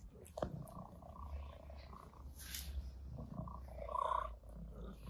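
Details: Cats greeting their owner on the terrace in the morning, where they spent the night, before going in for feeding: a steady low rumbling purr runs throughout, with a brief higher mew near the start and soft rustling.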